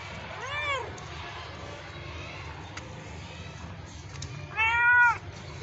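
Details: Domestic cat giving two meows: a short, arching cry near the start, then a louder, drawn-out harmonic meow about four seconds later, with low background hum in between.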